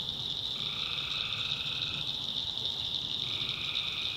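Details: Night chorus of tree frogs in a North Carolina backwoods swamp. A continuous shrill drone sits under lower, drawn-out trills that run for one to two seconds, pause, then return.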